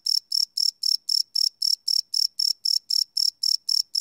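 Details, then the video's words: Crickets chirping at night, recorded live with no loops: very regular high, trilled chirps repeating almost four times per second, clean and steady throughout. "Cricket Chirp Sound - Cricket Sounds at Night"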